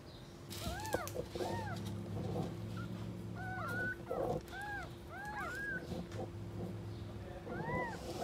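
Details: Street-living stray cats, an angry mother guarding her kittens: arched, high meows come in pairs and short runs, rising then falling, over a steady low hum and faint background noise.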